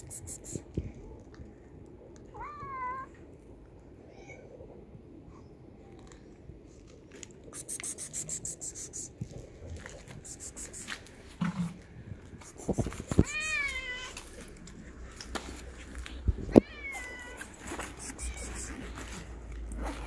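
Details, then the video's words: Abandoned male tabby street cat begging for food, hugging a leg; an early rising meow, then a louder pair of meows later with a fainter one after, among rustling, tapping and handling noises. "A Homeless Tabby Cat Hugs My Leg and Begs for Food"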